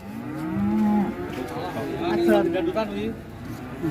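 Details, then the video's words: Agitated cattle unloading from a truck, two drawn-out low moos, the second longer and slightly higher, mixed with people talking and shouting nearby. "SAPI NGAMUK LEPAS TURUN DARI TRUK"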